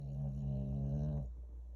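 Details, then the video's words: Sleeping Shih Tzu dog, relaxed at home, snoring loudly: one long, low, droning buzzy snore with a rich harmonic rasp, held steady for over a second before cutting off into a quiet room. "Shih Tzu Rex Snoring Loud"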